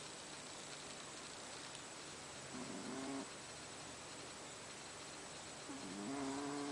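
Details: Sleeping house cat Haru gives two gravelly, buzzing snores a few seconds apart, each a short rough rasp, against a constant quiet hiss.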